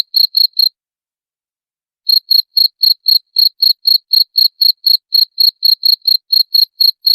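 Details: Rapid cricket chirps, said to repel rats, ring out in high clear pulses about four per second; a brief burst, then about a second and a half of silence before steady chirping resumes.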